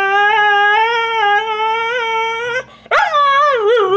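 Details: Female husky howling in complaint because another dog stole her bone: a long, steady, slightly wavering tonal howl held for over two seconds, a brief break, then a rising, bending yowl.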